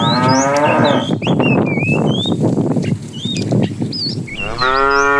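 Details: Tame cows on their morning roam for food: a deep moo opens, crunching hoof and feeding noises follow, and another resonant moo closes, while birds twitter in the background.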